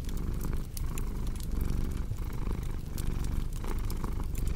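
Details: Domestic cat purring in a low, steady rumble that swells and fades with its breathing, under the crackle and pop of a cozy fireplace.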